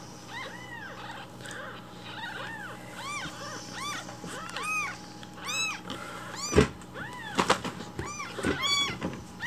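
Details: Several rescued baby kittens call loudly for their breakfast milk in the morning. Dense, overlapping high arched mews tumble one after another, growing busier, with a few soft knocks and handling noises indoors.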